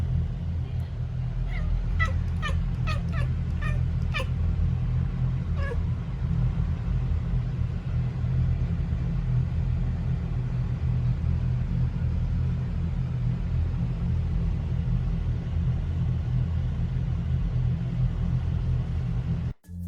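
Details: Young male brown tabby-and-white rescue cat, born 2019, chattering while watching birds and a cicada: a quick burst of clicking, stuttering chirps over a few seconds, then quiet, all under a constant low rumbling hum.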